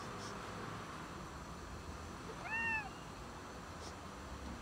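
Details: Cat hiding before feeding gives a single short arched meow, rising then falling, against steady low background hum.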